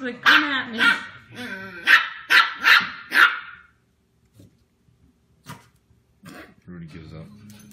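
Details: West Highland White Terrier puppy, female, meeting her new sibling: a quick burst of about six high, yappy barks over three seconds, then near silence with faint scuffles and a soft voice.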